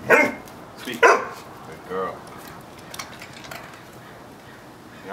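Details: Dakoda, a five-month-old female Doberman trained at Cool Dog Training in Temecula, CA, barks on the command "speak": two sharp, loud barks a second apart, then a softer third, with a woman giving commands and praising her.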